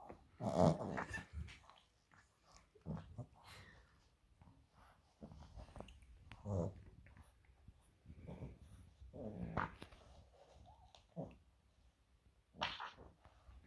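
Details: French Bulldog named Loki opening a Christmas gift indoors: low, rumbling growls and snorty breaths come in irregular bursts separated by quiet pauses, with occasional sharper, noisy crackles scattered between them.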